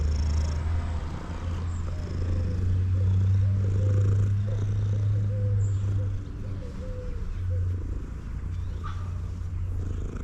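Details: Male cat eating and purring loudly: a strong, even low drone with a regular throbbing rhythm sustained for about ten seconds, and a few soft higher sounds above it.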